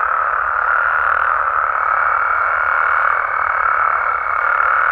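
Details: Frogs and toads calling at night in Mexico, a dense continuous chorus of many overlapping mid-pitched trills forming a steady unbroken wall of sound, with a faint high whistle-like tone running through part of it.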